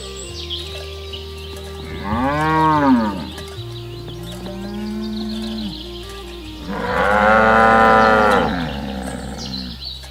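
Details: Herd of cattle being driven through a rice field ditch toward the village pen; two long, drawn-out moos, the first arching up and down around the third second, the second louder and fuller near the eighth, over a steady low background hum.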